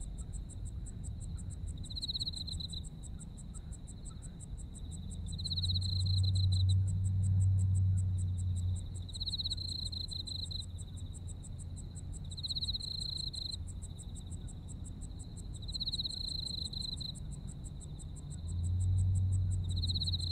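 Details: Japanese autumn insect chorus: a fast, regular high pulsing continues the whole time while a louder buzzing trill returns in bursts roughly every three seconds; a low droning hum, likely traffic, rises and falls underneath.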